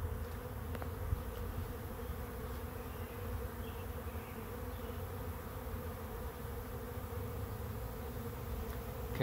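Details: Bees arriving as a swarm at a swarm trap drone in a continuous low hum, with a steady humming tone holding throughout and no break in the thick buzzing mass.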